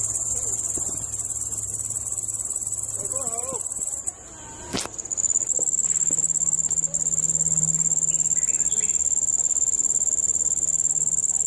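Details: Little cricket in a nature park giving a continuous high, thin trilling chirp, briefly interrupted near the middle by a sharp knock and soft rustle before resuming steadily; faint low hum underneath.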